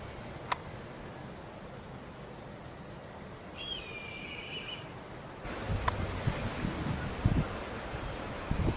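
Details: Male tabby-and-white cat on Enoshima island, Japan, outdoors by the sea on 7 October 2009 before Typhoon 18 came ashore; one short, tonal, wavering meow midway, followed by louder rustling and wind noise with a few sharp clicks.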